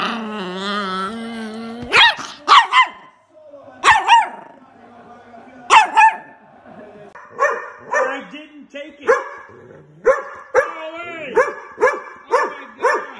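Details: Angry dog barking: a steady harmonic tone opens, then sharp single barks at irregular gaps, then a quicker run of barks near the end, with faint talk in the background.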